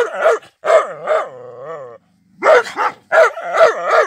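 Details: An angry Rottweiler gives deep, harsh barks in quick bursts, with a drawn-out, wavering tone between them.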